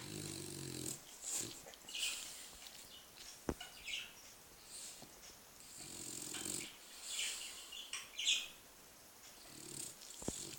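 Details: Bulldog snoring while asleep on its back, 6 November 2013; slow cycles of hissy, wheezing snuffles, each with a low rumbling stretch, plus a few sharp clicks between breaths.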